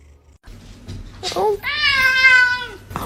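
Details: Domestic cat during a fight, letting out one long, steady, nasal meow that sags in pitch at the end, after a short rising chirp; quiet background.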